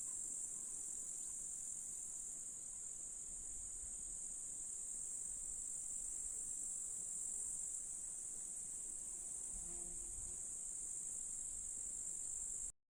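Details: In July meadows of the Russian countryside, by hills and a lake, grasshoppers produce a constant, bright, high hissing buzz at an even level for the whole stretch, cutting off abruptly at the end.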